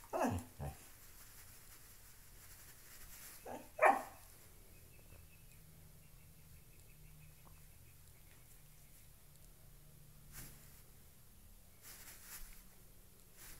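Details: Loki, a pet dog at play with a shoe indoors, gives a few short sharp barks and yips near the start, then mostly quiet room with faint rustling.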